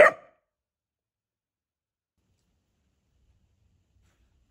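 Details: Teddy, a pet dachshund, gives one sharp, short bark right at the start, bright and clipped, followed by complete silence for the rest of the moment.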